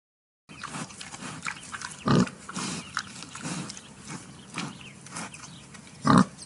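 A wild boar gives short, deep grunts, with two louder harsh grunts standing out.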